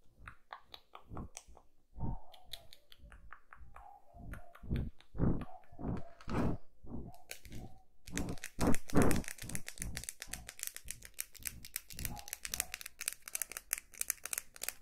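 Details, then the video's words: Kitten eating indoors, recorded close up for ASMR: steady wet crunching and chewing clicks, nearly three per second, growing louder and denser halfway through, in a quiet small room. "GATINHO COMENDO (eating sounds)"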